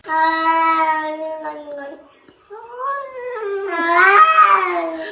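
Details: Domestic cat gives a long, steady, droning yowl. After a brief pause, a second, wavering cry rises and strains louder at the end. The room is otherwise quiet.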